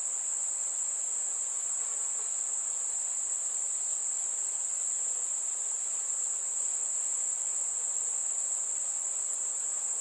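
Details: Warm summer evening, crickets singing: a constant, shrill, even trill held without a break for ten seconds over a faint, quiet background hiss.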